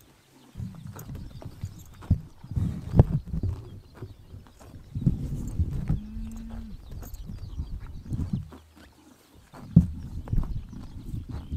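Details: Horses graze in the morning sun in summer in Mongolia, with repeated crisp tearing bites of grass and low, soft munching in between.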